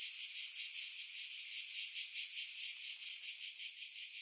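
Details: Cicada chorus from pine trees above Pefkos Bay on Skiros, Greece, July 2018: a shrill, hissing buzz that never stops, pulsing roughly three times a second, high and bright with nothing lower beneath it.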